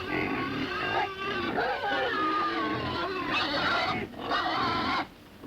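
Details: Several pigs in a pen grunt and squeal together in a dense, overlapping chorus.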